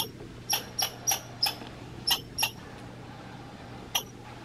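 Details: American red squirrel in Minnesota, described as grumpy, giving short sharp broadband chips, about seven in quick uneven succession over two seconds, then a pause and one more; faint steady hum underneath.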